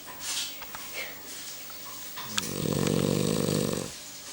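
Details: Sleeping Cavalier King Charles Spaniel indoors gives one long, rough, rasping snore lasting about a second and a half, after a stretch of faint voices and small room noises.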